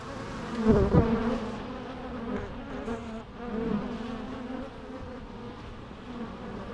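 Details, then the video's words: Bee buzzing with a loud close pass early on, then a steadier droning hum that wavers in pitch as the insects move about. "natural bee sounds"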